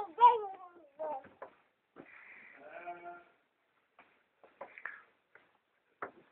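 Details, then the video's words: Domestic sheep being fed by a woman in a small village in Šumadija, Serbia; a loud wavering bleat opens, followed by shorter bleats and a few quieter calls, with a person talking in between. "Ema hrani ovce"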